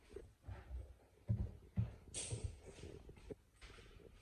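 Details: A British Shorthair cat, excited by a chicken drumstick, chews it noisily with irregular low crunches and wet smacking bursts.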